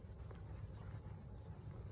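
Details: Crickets at night in a very quiet town square in Tavira, Portugal, on a work night: a high, thin trill broken into short bursts about three times a second over low background rumble.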